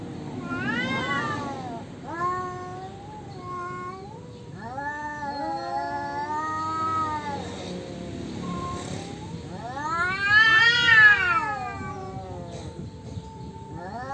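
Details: Male cats contesting territory, exchanging arched, wavering yowls of varying length; shorter cries give way to long moans, peaking in a loud, high rising howl before trailing off into lower wails.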